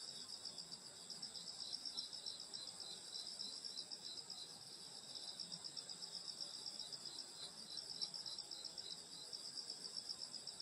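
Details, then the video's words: Countryside summer night at a grandmother's home, where insects fill the air with a shrill layered chorus; one strand pulses about four times per second over a constant high ringing trill. "여름소리 풀벌레소리 시골밤소리"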